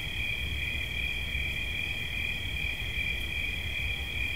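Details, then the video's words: Cricket song as a seamless high, ringing trill, level and continuous, set against a quiet low-frequency hum. "Świerszcz. Dźwięki relaksacyjne"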